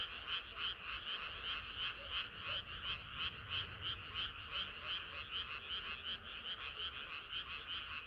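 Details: Frogs croaking in a crowded chorus on a hot summer night, the rapid notes rising and falling in gentle waves of loudness, about three pulses each second.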